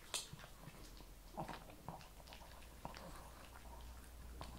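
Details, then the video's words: Kibble crunched by a Shih Tzu. A few distinct bites, a sharp one at the start and others spaced about a second apart, sit over a low continuous hum. "ASMR SHIH TZU THE MOST CHEWING, RELAXING, PET, PUPPIES, KIBBLE"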